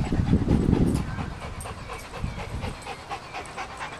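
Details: Rapid, rhythmic breathy panting from Milo, a dog showing off his speed among other dogs. It comes about three to four puffs per second after a loud low rumbling thump at the start.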